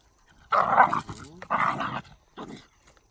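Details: Pair of Shiba Inu, one a red Shiba, roughhousing on 24 July 2019 as one pushes and rams the other. Three harsh, growly grumbles, the first two about half a second long and loud, the last shorter and softer.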